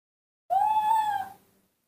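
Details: Newborn baby monkey calling in a sweet little voice, happy to see milk: a single clear tonal cry, gently rising then falling, with rich harmonics, lasting under a second, in a quiet room.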